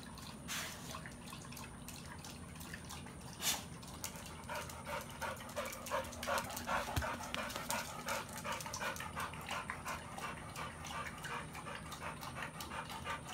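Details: American Bully in a Pitbull cross pairing, Beats and Maxx, panting steadily: fast, rhythmic, breathy puffs of broadband noise, close to three per second, with a low background hum throughout.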